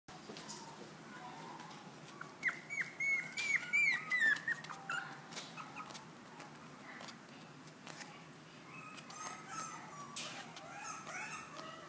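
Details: Long-haired Chihuahua whimpering: a run of thin, high, wavering whines around the middle of the clip, broken into short rising and falling notes, then softer scattered whimpers and faint rustling fill the remaining seconds.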